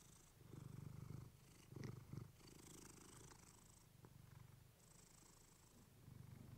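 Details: Clementine the cat purring on a fluffy microphone, relaxing sleep sounds; strong low purr in bursts, with rustling, brief hissy scratches and higher shuffling noises mid-clip.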